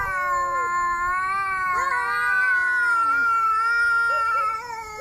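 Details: Angry domestic cat giving one long, continuous, drawn-out yowl with a wavering pitch and rich harmonics, steady in loudness and fading slightly at the end. No hissing is heard.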